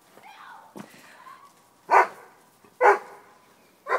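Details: Two dogs, Rudy the Doberman and Tally the Miniature Pinscher, at play in the snow: a thin rising whine opens, then three short, punchy barks roughly a second apart.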